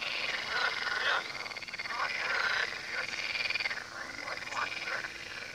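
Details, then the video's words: Chorus of frogs by the Tywa river, many short croaking pulses piling up in uneven bursts, some louder calls standing out, steady background hum beneath. "Odgłosy żab nad Tywą"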